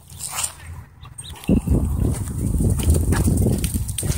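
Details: Wolfdog play fighting with a husky at a dog park, throwing and pinning it; low, rough growling rumbles starts abruptly and continues steadily, with scuffling noises and faint background chatter early on.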